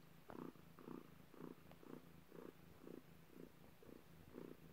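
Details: Quiet, throaty purring from a cat during birth, faster now at roughly two pulses a second, each swell short and even over a faint low hum.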